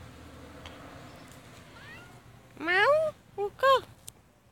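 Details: A domestic cat meowing: a faint rising mew near two seconds, then a loud drawn-out meow followed by two shorter meows in quick succession, over a quiet low hum, with a brief voice beforehand.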